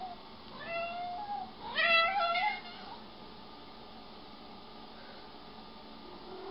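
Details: Domestic cat described as jealous, indoors, giving two meows: a short one, then a louder, rising and falling meow. Quiet room hum follows, with a person talking nearby.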